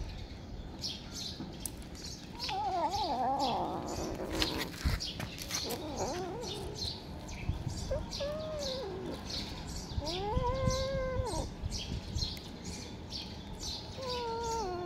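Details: Cat giving several drawn-out meows, each arching up then down in tone, in bouts from the third to the fifteenth second, over steady high repeated bird chirping and low rumbling background noise, with a sharp clatter near the fifth second.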